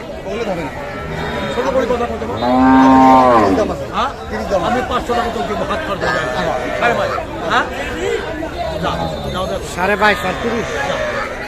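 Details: At Kaharol livestock market, Dinajpur, Bangladesh, 18 August, among cows with calves for sale, one cow lets out a loud drawn-out moo of about a second, rising then falling, amid dense crowd chatter and shouted bargaining.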